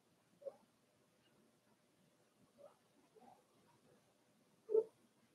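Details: Four-week-old Cavalier King Charles Spaniel puppies of Daisy's litter in their indoor puppy pen, giving short soft squeaks spaced a couple of seconds apart, the last one loudest, in a quiet room.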